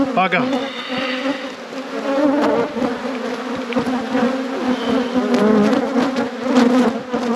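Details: Honey bees humming at a beekeeper's apiary during a hive inspection: a steady, dense drone with a low fundamental and an even overtone above, rising and falling slightly in loudness, with a brief human voice near the start.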